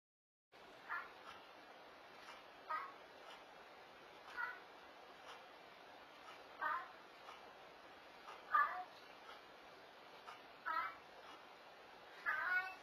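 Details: A pet cat, a female called a "talking" cat, vocalizing indoors: short meow-like calls, each rising and falling, repeated about every two seconds over a steady background hiss.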